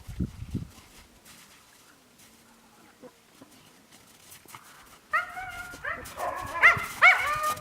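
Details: Quiet stretch with faint rustling, then Yakutian Laika puppies break into a cluster of high, thin whines and squeaks, several rising then falling, overlapping toward the end.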